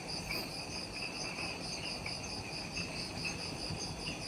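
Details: Insects in the jungle of Ishigaki Island, Okinawa, Japan, at twilight just after sunset: a dense chorus of steady high trilling bands with pulsing chirps layered above, over a low background hum of the forest.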